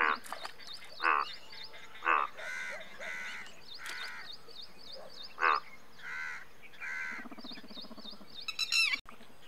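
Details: Rasping, pulsed croaks of an Indian bullfrog every second or two, mixed with other croaking callers and a constant high, ticking chorus in the background, ending in a brief burst of shrill noise.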